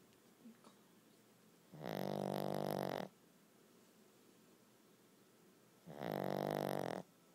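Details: A sleeping dog snores: long, buzzy, rasping snores last over a second each and come about four seconds apart. Quiet breathing fills the gaps indoors.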